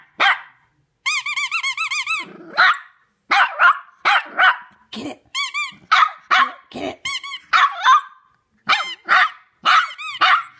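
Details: Maddie, a three-month-old female Shih Tzu puppy, howling at a squeaky toy for the first time: wavering, high-pitched drawn-out howls with rich overtones, broken by short sharp yelps and squeaks, with a person speaking nearby.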